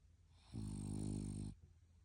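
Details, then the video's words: French Bulldog asleep, giving a single deep, steady snore lasting about one second, low and buzzy with rich overtones, quiet before and after. "Snoring dog"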